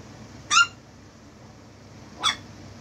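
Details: Chihuahua puppy playing with a Nightmare Before Christmas Jack hat indoors, giving two short, high, squeaky yips about two seconds apart, the first louder and sharper, over a quiet room hum.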